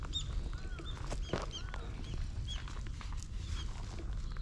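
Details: Ginger tabby cat that rubs up against a passer-by heading home after a night shift, filmed on a GoPro HERO8; a couple of short, faint arched meows amid shuffling footsteps, with thin high chirps in the background.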